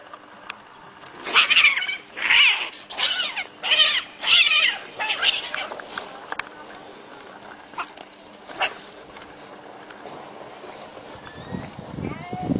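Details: Two cats fighting at noon: a run of five harsh, rasping bursts close together, like spitting screeches, fading into quieter scuffling noise and a low rumble at the end.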